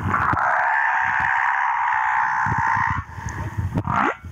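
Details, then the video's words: Humpback whale male from Moorea holding one steady, harmonic-rich moan for about three seconds, then a quick rising upsweep, with soft underwater crackle behind. "Baleine à bosse - le chant du mâle"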